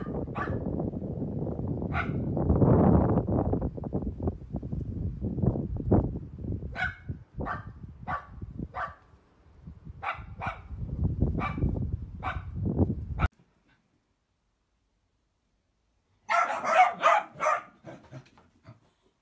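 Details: Dachshund, a sausage dog, barking in a run of short repeated barks over rumbling background noise, the barks coming roughly every half second before a silence and a final burst of sharp yips.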